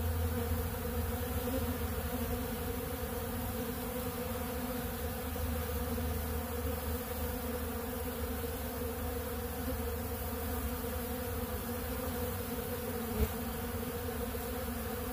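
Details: Honeybees feeding on ultra bee pollen at a big blue pollen feeder, a steady droning hum from many bees with layered low tones, continuous and even throughout, one brief tap near the end.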